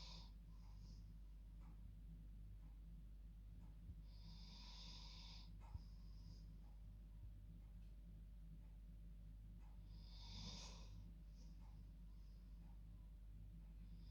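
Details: Bedtime snoring from a female dog asleep in her bed, sounding human-like: soft breathy rasps recur roughly every five to six seconds against a quiet indoor background with a low hum.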